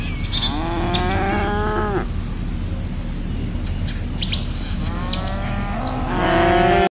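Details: Two loud, sustained cow moos, each about two seconds long with a bending, slightly falling pitch, separated by a quiet gap. Bird chirps and a low hum are heard underneath.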